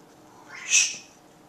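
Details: Bailey, a pet cat being shushed whenever he meows, gives a single brief, high-pitched meow that swells and fades within half a second in an otherwise quiet room.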